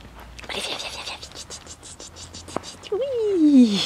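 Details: Six-week-old ee-red Border Collie puppy playing with its mother gives one wavering whine that slides steadily downward and fades, following a stretch of soft clicks, rustling and a sharp tap.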